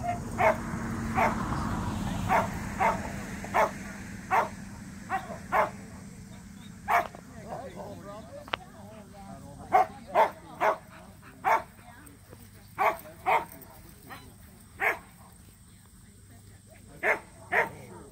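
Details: Samoyed barks at a local match show, Mozart and Zuko's debut entry: short, clipped, distant-sounding barks repeated roughly once a second, some in pairs, over a quiet hum of voices.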